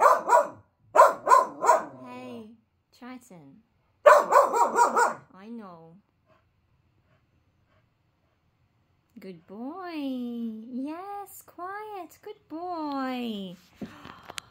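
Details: Male Finnish Lapphund puppy, five months old, giving bursts of rapid, deep barks in quick doubles and triples, then a pause, followed by a person speaking soothingly in a high, sing-song voice.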